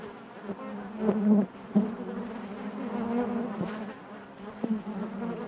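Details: Dense hum of honey bees within the hive, a continuous low droning tone with stacked harmonics, occasional sharp ticks and louder swells as individual bees pass close.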